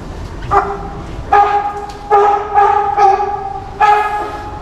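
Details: California sea lion family of mother and two young playing on a show stage at an aquarium in Japan; five loud, harmonic, honking barks at irregular intervals, with a person speaking Japanese.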